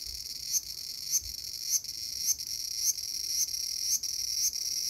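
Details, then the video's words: Cicada in a small garden, August 5, 2020, giving a shrill continuous buzz that swells into a brief accented pulse roughly every 0.6 seconds, with nothing else clearly heard. "The sound of Cicada."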